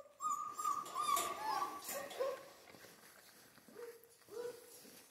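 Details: Michigan Central Asian Shepherd puppies give a long, wavering high whine, followed after a short gap by two lower, flat whimpers, with faint background voices.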